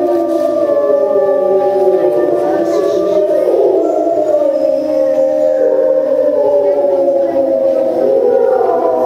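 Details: Timber wolves at Tama Zoological Park, filmed September 2015, howling together after a meal: several overlapping long, smooth, wavering howls, some rising and falling, forming a continuous chorus with one voice gliding upward near the end.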